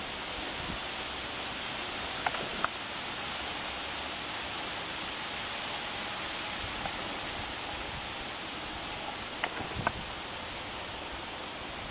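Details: Steady broadband rushing, like wind or running water, with a few faint clicks and no clear animal call.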